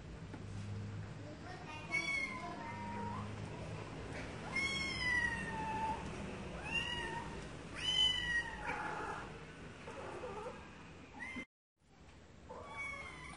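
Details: Cats meowing, a run of clear drawn-out meows with rich harmonics, each sliding downward, coming every second or two, over low background hum; a brief dropout near the end.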